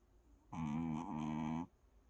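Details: Adopted rescue dog sleeping soundly after a vet visit for combination vaccination; one drawn-out, buzzy, harmonic snore of about a second in a quiet small room.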